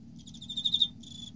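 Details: Emma field cricket singing in autumn: a bright, high chirp of about six rapid pulses swelling in loudness, followed after a short gap by a steadier high ringing note, over a low background rumble.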